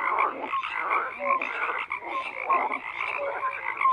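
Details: Croaking frogs in chorus, layered rasping calls with brief whistle-like notes recurring about once a second over the murmur of other callers.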